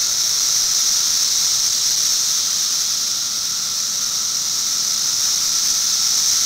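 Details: Continuous periodical cicada chorus filmed in 2008, a shrill hissing wall of sound with a thin underlying tone and no breaks or changes.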